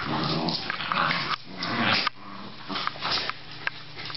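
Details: Australian Terrier growling and grumbling in raspy bursts, punctuated by a few sharper yaps and snaps, indoors with a faint constant hum.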